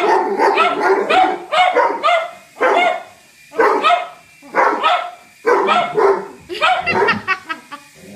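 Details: A Doberman and a cocker spaniel named Whiskey and Lucy bark furiously at an intruding helicopter, loud rough barks in clustered bursts, roughly one a second, separated by brief quiet pauses.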